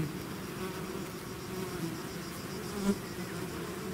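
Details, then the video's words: Bees in a swarm coming out of their hive: short burst of even, low buzzing drone with a faint tap near the end. "bees therapy swarm natural buzzing sound"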